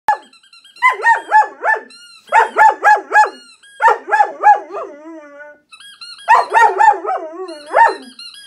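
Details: German Shepherd indoors howling in reaction to a squeaky toy noise played on an iPhone: bursts of wavering, yodel-like howls in rapid pulses, separated by short pauses, with a steady electronic squeak tone in the background.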